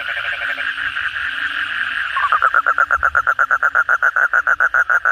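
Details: Night chorus after heavy rain, with kodok bangkong (Asian common toad) among many calling frogs. A steady blended hum of callers gives way to one toad's quick series of sharp, regularly spaced croaks.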